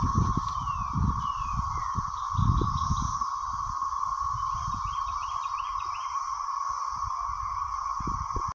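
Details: Cicadas at Lake Greenwood, South Carolina, recorded by the lakeside dock, drone in a steady, unbroken buzz, with low wind rumble underneath.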